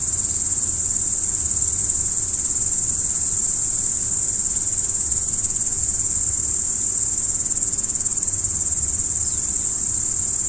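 Crickets chirp at night in a steady, high-pitched chorus that never pauses.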